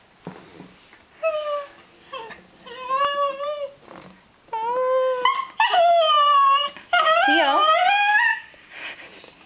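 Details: Male Cairn Terrier indoors singing to get his ball thrown: a series of tonal, wavering howls, starting short and spaced, then growing longer and louder, the last ones bending and overlapping near the end.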